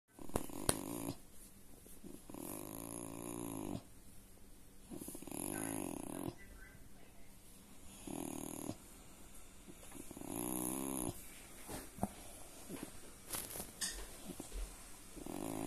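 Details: Purring Collie recorded on 27 January 2023; rhythmic rumbling breaths in bursts of one to two seconds, alternating with quieter gaps, under broadband background noise.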